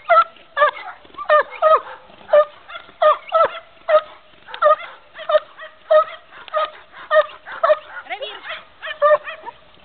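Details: An 11-month-old Belgian Malinois in IPO defence training, 2 July 2008, giving loud, steady barks roughly twice per second, each bark sharp with a slight upward whine.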